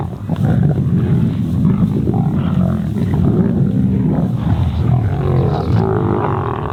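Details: Kambula Pride lions squabbling as they feed on an impala carcass, each trying to get its share. Deep, rough growls run unbroken, with snarls overlapping, and a faint higher sound appears near the end.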